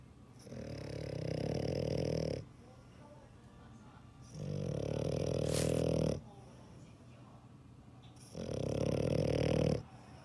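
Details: Three drawn-out snoring breaths from a dog, each a low vibrating rasp near two seconds long, spaced by short quiet gaps, indoors.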